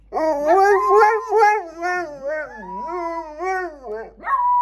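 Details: Loud, close howling from pet dogs, wavering voices that bend up and down in pitch with quick yodel-like breaks, ending on a rising higher note.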